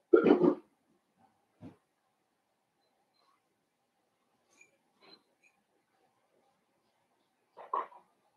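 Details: Young blenheim Cavalier King Charles Spaniel puppies, a litter of five born at New Year and kept in an indoor pen: a loud burst of rough barks opens, followed by a faint squeak, quiet gaps and a last yelping bark.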